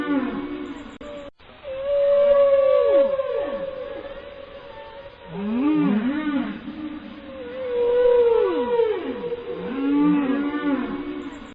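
A whale sings long, sliding moans that sweep up and down, in phrases repeated every few seconds.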